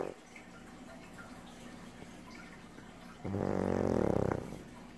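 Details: Sam, a pug, sleeps on a lap and gives one loud, low, rasping snore lasting about a second, set against quiet room hum.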